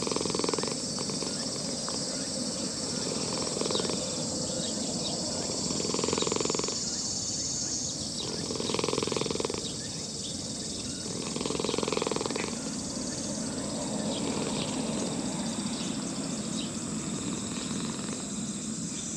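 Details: Elderly brown-and-white park cat being petted by a person, purring in throbbing bursts that rise and fade every few seconds, with a constant shrill insect hum behind and brief human voices.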